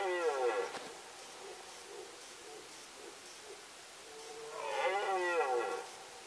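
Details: Red deer in rut, Sandomierz Forest, Poland, 2018: a roar tailing off into soft grunts, a quiet stretch with faint low calls, then a long, coarse, rising-and-falling bellow.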